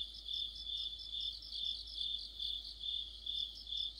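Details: Crickets with other insects form an autumn orchestra under a streetlamp; a shrill sustained tone overlaid by rapid rhythmic chirp bursts swelling and fading roughly twice per second.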